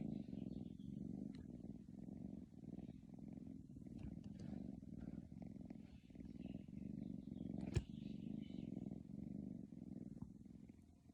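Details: A sleeping kitty snores in a long, steady low rumble with rhythmic breathing swells, interrupted near the middle by a single sharp click, otherwise quiet background.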